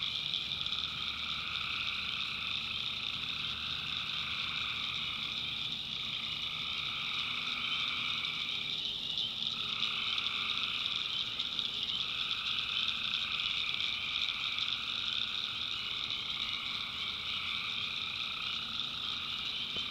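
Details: Tree frogs calling at night in a swamp in the North Carolina backwoods: a dense, unbroken chorus with a steady high shrill drone and a mid-pitched pulsing band that swells and fades every few seconds.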